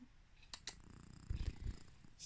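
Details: A sleeping domestic cat snoring: a brief cluster of low, rumbling pulses in the middle, with a couple of sharp clicks before it and a soft hiss near the end.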